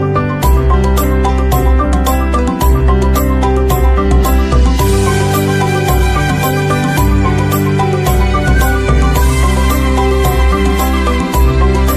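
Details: Loud instrumental music with steady bass notes and layered melodic tones plays throughout, with no animal voices heard.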